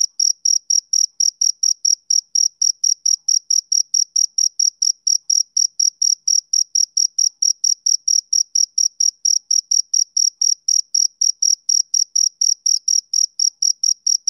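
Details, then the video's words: High, metallic cricket chirps from a male, repeated steadily about three per second throughout, uniform in loudness, with a quiet background. "Cricket Chirping Sound Effect"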